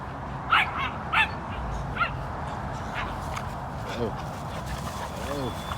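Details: Puppy play-fighting with an American Bully and American Pit Bull Terrier during flirt pole training: three short, high, sharp yips near the start, spaced under a second apart, then fainter ones, with a man talking and laughing over steady background noise.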